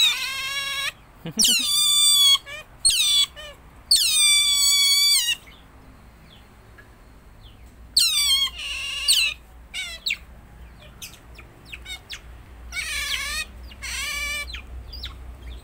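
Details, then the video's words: Shrill squealing from pet otters kept together: long bright harmonic whines that bend downward at the end, repeated in bursts with gaps of quiet, plus faint short chirps in between. "suara berang berang"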